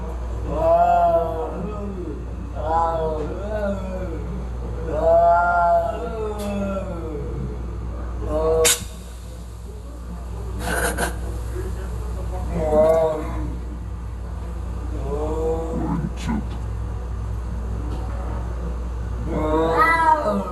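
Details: Cats fighting: drawn-out, wavering yowls rise and fall in long harmonic howls, returning in bursts every few seconds, with sharp clicks and a steady low hum underneath.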